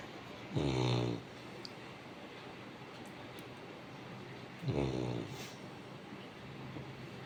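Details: A Labrador Retriever snoring: two deep, rasping, buzzy snores about four seconds apart, each lasting roughly half a second, over a steady low background hum.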